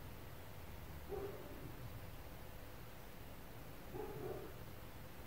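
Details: Neighbours' dogs barking around an apartment, heard from indoors: two muffled, distant bark bursts about three seconds apart, each a short cluster of low woofs, over steady low room hum.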